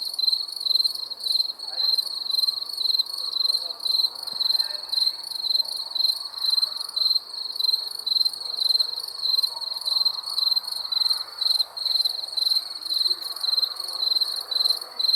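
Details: Cricket chirping after dark, rapid high pulsed trills repeating nearly twice a second, over a soft murmuring background that may include distant voices.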